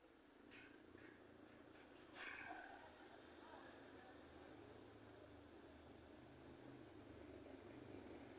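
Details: Cricket calling at night during a lightning storm: a thin, steady high-pitched trill with slight pulsing runs unbroken throughout, over a low rumbling background hum, with a brief faint voice near the start.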